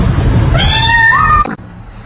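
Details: A domestic cat gives one drawn-out meow, lasting just under a second: a steady, clear tone that slides a little higher near its end. A low rumbling background runs underneath, and the meow then stops abruptly.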